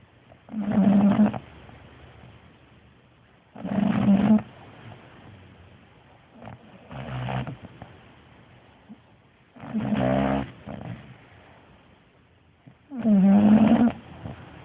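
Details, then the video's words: Loud snoring from a sleeping bulldog: five coarse, vibrating snores at steady intervals of about three seconds, one of them softer, each a throaty buzzing rumble separated by near silence. "Bulldog (Hammy) snores loudly"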